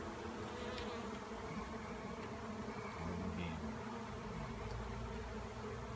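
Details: Honeybee swarm swirling in a frenzy after a cutout from a tree, bees hitting a roof and landing on limbs; a dense, steady droning hum with layered low tones, continuous throughout, with a few faint clicks.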